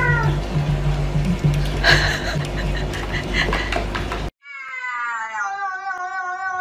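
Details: A domestic cat from a funny pets compilation gives a long, drawn-out, wavering meow, harmonic and slightly falling, after about four seconds of loud, dense background music and noise.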